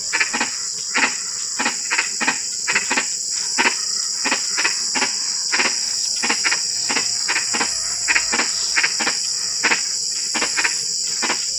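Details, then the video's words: In drizzling rain, several frogs give crisp knocking clicks in quick, uneven succession for the whole stretch, over an unbroken high-pitched insect hiss. "SUARA KODOK HUJAN GERIMIS (drizzling rain frog sound)"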